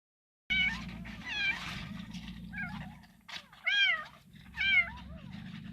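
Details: Abandoned kitten rescued from bushes, meowing repeatedly: high, arching cries about once a second, some louder and rising-falling, with a low steady hum of background noise.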